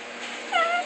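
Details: Pet dog talking back while scolded with "no barking": a short, high, tonal whine-yip that slides downward, heard after a woman's voice saying no, in a quiet room.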